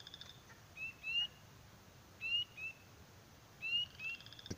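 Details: Spring peepers (Pseudacris crucifer) calling at the start of spring beside an outdoor pool, with a leopard frog also nearby: short, high, rising peeps, often in quick pairs, about every second.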